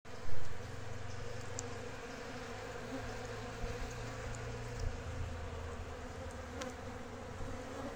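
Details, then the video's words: Jandaíra bees swarming and very agitated in January 2024. A dense, low droning buzz with a steady hum runs throughout under a broad hiss, and a brief louder burst comes near the start. "ABELHAS JANDAÍRAS bem zangadas"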